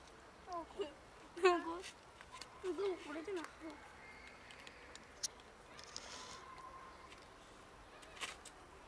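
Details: Meowing from a large colony of cats that live by a dumpster and feed from it: a few loud, harmonic, wavering meows early on, then a quieter stretch with faint rustling and clicks.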